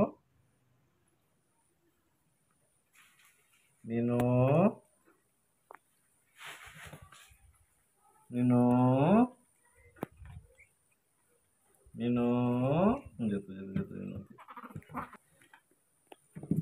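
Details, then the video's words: Baby monkeys Moni and Mino, kept indoors, excited at morning milk time: three loud, harsh, drawn-out cries about a second long, spaced several seconds apart. A woman speaks Indonesian softly between them. "it's time to drink morning milk, baby monkeys Moni and Mino are very excited"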